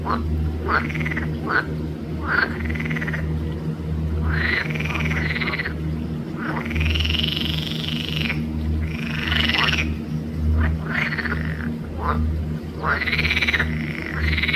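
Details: Green frogs (Pelophylax) calling loudly at Arboretum Volčji Potok on 5 June 2024: long, buzzing, arched croaks lasting one to two seconds, mixed with short sharp notes, against a persistent low hum.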